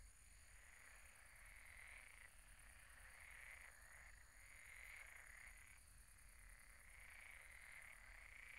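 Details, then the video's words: Night chorus of frogs at a pond: overlapping croaks repeated rapidly, about four per second, rising and ebbing in bursts, with a continuous thin high ticking buzz above and a faint low hum underneath. "Relaxing sounds of croaking frogs at the pond"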